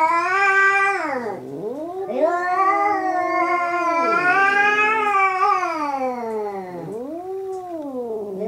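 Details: Two cats, Hokuro and a black-and-white cat, in their third fight, yowling loudly: long harmonic wails that bend up and down in pitch, swooping low then rising, overlapping in a drawn-out tonal duel.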